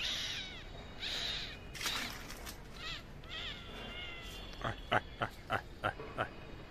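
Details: Two lost kittens, brother and sister, left by their mother and fled onto a roof, calling with thin high meows: several rising-falling mews early on, then a run of six sharp evenly spaced calls near the end over background noise.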